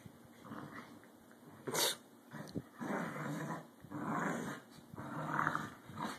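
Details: Indoors, two corgis tussle playfully for dominance: rough growling swells in several half-second to one-second bouts, with a sharp higher snap and panting-like breaths between.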